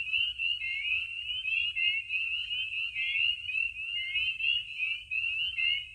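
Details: Many spring peepers in full chorus around vernal pools in Maine at night in spring. High, sharp rising peeps repeat constantly and merge into an unbroken shrill drone.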